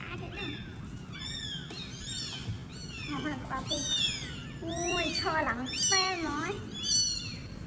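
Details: Homeless kittens meowing: a string of high, arching mews, several overlapping, roughly one per second and growing louder toward the end, over a low murmuring background.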